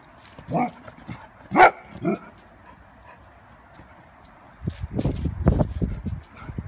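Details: Male Golden Retriever pet indoors, fighting a balloon to protect his family; three sharp, loud barks in the first two seconds, then quieter low thumping and scuffling.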